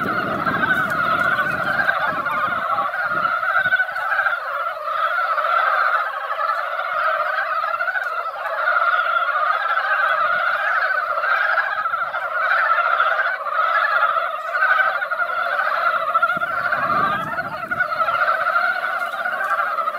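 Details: Large gathering of mountain frogs at a mountain pond following light rain, their calls merging into a loud, unbroken, churning chorus of quick croaks, with faint low thumps at the start and near the end.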